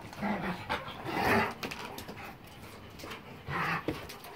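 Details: Playing German Shepherd Boxer mix dogs, January 26, 2021: breathy panting and short throaty growls in a small indoor space, with a louder rough burst near the middle and another near the end.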